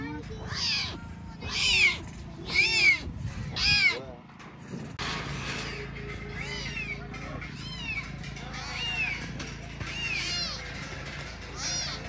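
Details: Tiger cubs abandoned by their mother in a Belogorsk, Crimea lion park, giving four loud, high, wavering mewing cries in quick succession, then fainter cries under background music and speech.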